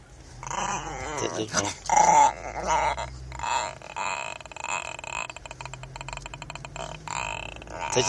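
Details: Diego, a Chihuahua called mean, growls in uneven rumbling bursts with short yips while a person urges someone to touch him and the steering wheel; voices talk over the dog throughout.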